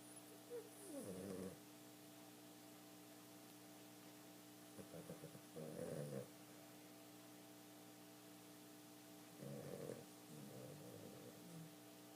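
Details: Boston terrier snoring while asleep and twitching, a pet indoors; three rough, rumbling snore bursts roughly every four seconds, each a drawn-out raspy breath over a steady low hum.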